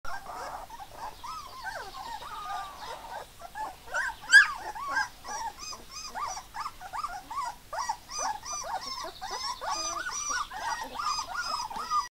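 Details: Three-week-old Hovawart puppies; a steady stream of short high whimpers and squeaks from several pups, closely repeated with slight rising and falling inflections, one louder yelp near the four-second mark.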